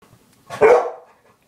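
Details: A single sharp dog bark aimed at a toy, indoors in a small room; one short, loud, harsh burst lasting about a third of a second, with quiet before and after.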